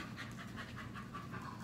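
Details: Six-month-old Belgian Malinois in training, not really responding to commands; rhythmic quick panting, about four breaths a second, over a low steady hum, with a trainer's voice giving commands just before.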